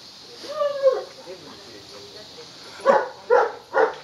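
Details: Pet dog barking during a game of fetch with a ball: a thin whining tonal sound first, then three short, sharp barks in quick succession about half a second apart near the end.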